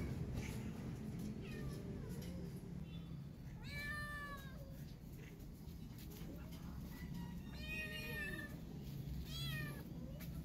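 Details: Hungry kitten calling in a loud voice for food while stuck on top: a few soft early mews, then louder arching, wavering meows near four, eight and nine seconds, over a low humming background.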